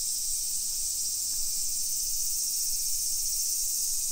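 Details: Massed summer cicadas buzzing in a modern hillside neighbourhood of Nisshin, Aichi, Japan, 1 PM, 28 July 2021; an unvarying high electric hiss fills the air, with soft low background hum.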